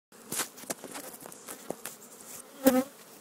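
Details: Honey bees from a defensive, possibly Africanized colony in a tree hole about 20 feet up in St. Johns, Florida, disturbed during removal; short scattered buzzy bursts as bees pass close, with a brief louder hum near the end.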